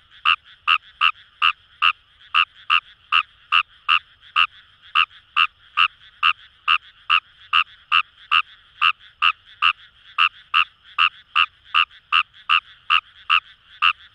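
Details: Rice frog calling in paddy fields at Itoshima, Fukuoka, Japan: a sustained series of around thirty-five rapid, hard-edged croaks, two to three each second, steady and unbroken, with a constant buzzy chorus of further frogs.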